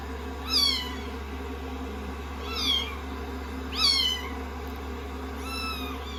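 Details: Day 16 of a rescued-kitten growth record, kittens on a lap after a shampoo: four piercing meows, rising then dropping, roughly every one to two seconds, the last one flatter, over a steady hairdryer noise.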